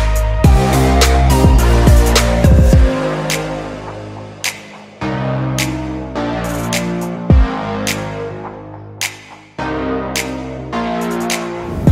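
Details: Bass-heavy electronic track with layered synth chords and regular drum hits throughout, and no animal sounds.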